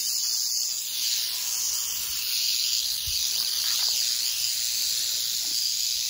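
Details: Canebrake rattlesnake, a timber rattlesnake around four feet long, rattling nonstop on a North American dirt road in humid, breezy 81-degree weather; an even, hissing high buzz with a single soft knock.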